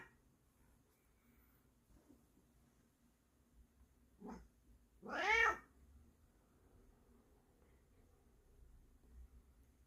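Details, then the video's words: Bengal cat waking its owner like an alarm clock, indoors: after a short rising chirp, one loud drawn-out wavering meow lasting about half a second, then quiet. "The Return Of The Furry Alarm Clock"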